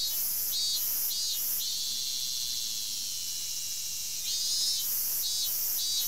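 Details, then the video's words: A robust cicada (minminzemi) in forest, filmed 19 August 2012 in summer, sings loud, pulsing 'meen-meen' notes repeated about twice a second over a constant high insect drone. "ミンミンゼミ うるさい鳴き声"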